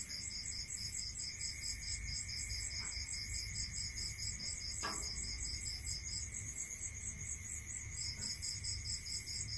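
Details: Crickets at night in a rural area, several high pulsed chirp trains repeating in rapid beads alongside a steady thin whine, with a few faint clicks and low rumble beneath.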